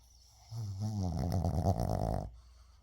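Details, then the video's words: Shih Tzu named 의중 sleeping indoors lets out one long, rattling, vibrating snore of nearly two seconds, low and throaty with a fluttering texture. "시츄 코골이"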